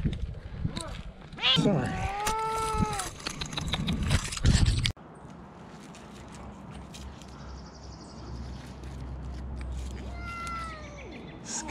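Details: Rescued cat meowing twice, a loud, slightly falling meow early on and a fainter one near the end, over human speech, rustling and background hum.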